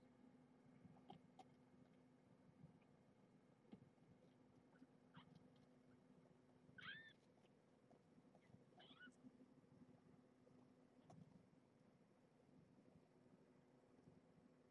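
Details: Indoors with Marge, a rescued former stray nursing her litter, while kittens are fed and handled: two brief, faint mews several seconds apart over a steady low room hum.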